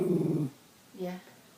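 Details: Bichon Frise dog 'talking' with its owner, recorded on an iPhone 5: a half-second pulsing low grumble, then a brief quiet pause and a short softer throaty sound.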